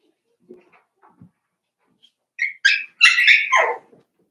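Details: Soft, low squeaks from five-week-old Cavalier King Charles Spaniel puppies in Daisy's puppy pen build into a burst of sharp, high yelps. The last, longest cry slides downward before ending abruptly.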